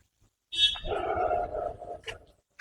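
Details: Deer of unidentified species calling at Krishnagiri Dam, where many deer live, apparently around feeding time; a single nasal, bleating call about one and a half seconds long, sliding down from a higher start, with brief sharp noises after it.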